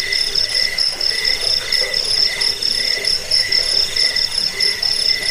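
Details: Insistent cricket chirping for chasing away rats, sleep and bird training; high bright trills pulse in even short bursts throughout, a low murmur underneath.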